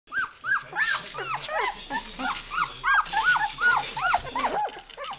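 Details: Several Goldendoodle puppies calling for their mother, a rapid overlapping chorus of high arched yelps and squeals, roughly three per second, with some squeaky whines and low growly undertones mixed in.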